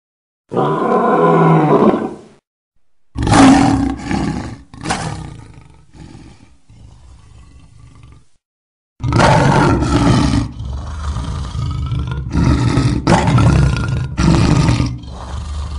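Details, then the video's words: ['Lion roars, said to communicate location and intimidate rival prides: separate loud, gravelly roar bursts with abrupt cuts and silent gaps, then a long stretch of repeated harsh roaring with pulsing loudness.'] "Lions Roar Sound Effects | Why do lions roar?"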